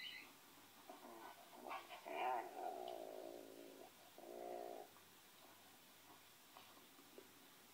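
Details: Ole the Pinscher, listening, voices a wavering whine that swells and falls, followed by a second steady, nasal whimper lasting about a second, then near silence with faint clicks.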